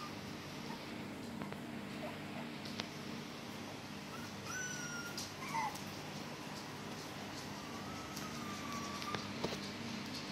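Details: Four-week-old black-and-silver miniature schnauzer puppies at a breeding kennel give a few thin, high whimpers over a steady low hum.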